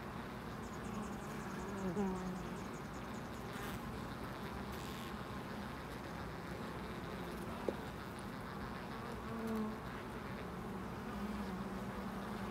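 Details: Low, droning wingbeat hum from bees around a loading dock, with brief louder fly-bys near two and nine seconds, a faint ticking series early on, and steady ambient rumble beneath.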